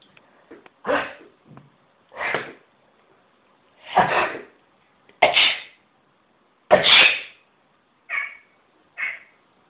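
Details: Pet cat meowing in reaction to people sneezing, which he is said to dislike: five loud, breathy human sneezes, then two short, clipped, mid-pitched meows in quick succession at the end.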